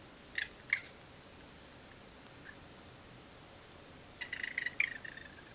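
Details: Security-camera recording of noisy raccoons after dark: two sharp, high squeaky chirps near the start, a quiet stretch, then a rapid run of harsh, chattering trills at the end, with constant background hiss.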